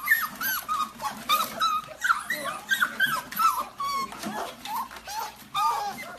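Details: Golden Retriever from a compilation of funny moments, giving high, wavering whimpers and whines in quick uneven bursts, some sliding up and down, with background rustling.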